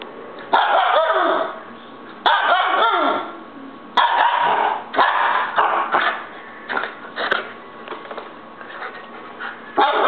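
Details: Young pet Siberian Husky throwing a fit: loud, harmonic, yowling bursts with rising and falling pitch, about eight outbursts in ten seconds separated by brief quieter gaps, some grumbling and rough, barky edges, with a few sharp clicks.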